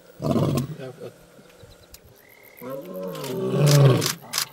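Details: Young male lion in the African bush roaring to announce his arrival: two deep, harmonic roar bursts, a short one followed by a longer, louder moaning one, with quiet gaps between.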